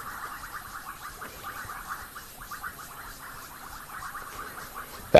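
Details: A chorus of Bubbling Kassinas (Kassina senegalensis) gives quick, liquid, popping notes overlapping steadily in a mid-pitched band at sunset on 15 January 2024, after rain, on Rietspruit Game Reserve in South Africa's Lowveld.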